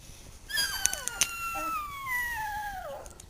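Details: Litter of two-week-old puppies handled indoors; one pup lets out a single long, thin whine that slides slowly downward for over two seconds, preceded by a couple of faint clicks and a soft squeak.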